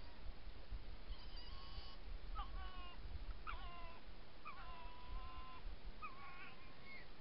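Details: At night, a nursing female red fox meets a male and they exchange a serenade of thin, wavering, whining calls over a steady low rumble.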